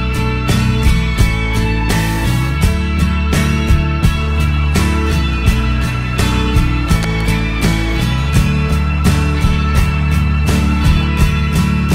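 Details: Rock music with driving guitar, bass and drums throughout, with no animal sounds.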